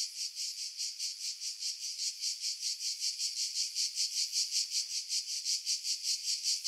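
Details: Sizzling cicada song in July 2018 among pine trees 50 m above the sea, Pefkos Bay, Skiros Island, Greece; rhythmic rasping pulses, roughly two and a half per second, swelling slightly louder toward the end. Wind noise edited out.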